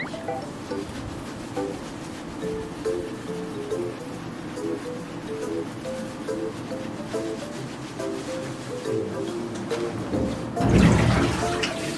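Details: Light ukulele background music plays throughout, ending in a brief burst of splashing water, with no animal voice.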